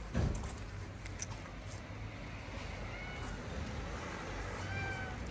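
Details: Tuxedo cat in Morocco, angry at being picked up, gives two faint, thin meows, one near the middle and one near the end, over steady broadband hiss and handling noise.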